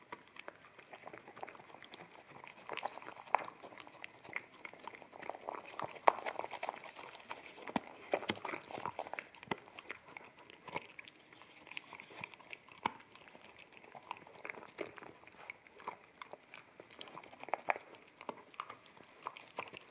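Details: Akita puppy eating wet kibble from a bamboo plate indoors, recorded in stereo with a ZS100 camera; dense, soft wet smacking and lapping clicks run steadily throughout, with occasional sharper crunches over a quiet room background.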